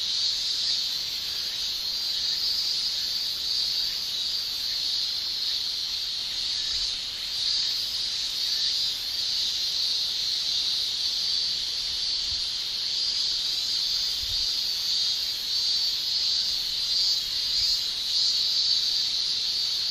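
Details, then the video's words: Japanese summer cicadas, males shrilling with their tymbals: a continuous high, sizzling drone with faint rhythmic pulses about every second or so, steady overall loudness, and a few faint low thumps in the background. "Japan Summer Cicada Shrilling"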